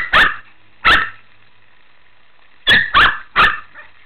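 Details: A Shih Tzu barking during play time in a pool: two sharp, clipped barks a moment apart, a short pause, then three rapid barks in a row and a softer trailing sound.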